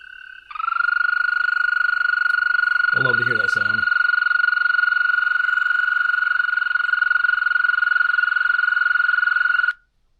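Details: American toad gives a long, steady, high-pitched musical trill lasting about nine seconds, a call given in spring and at times through the summer.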